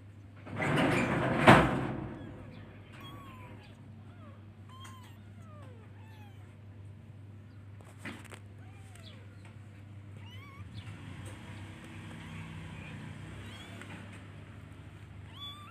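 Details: Baby kitten meowing as it searches for and calls its mother; thin, scattered high meows, some rising and some falling, with a loud clatter near the start and steady low hum behind.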